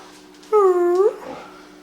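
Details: Domestic dog indoors singing on command, giving one short tonal howl that dips and then rises at the end, with a steady electrical hum underneath.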